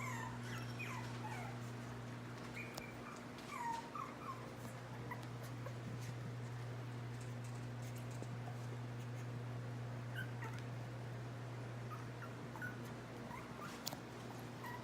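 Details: Three Chihuahua puppies, Solo, Banjo and Reed, in August 2018 give scattered faint squeaks and whines, mostly early on and near the end, with a constant low hum underneath.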